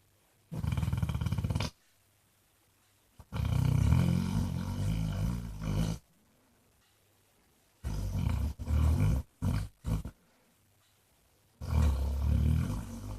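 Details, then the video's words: Jack, a content Basset Hound also known as Mr Flops, snores in deep, rattling bursts of one to three seconds, with choppy short snorts in the middle and quiet gaps between breaths. "Snoring basset hound thinks he's Elvis"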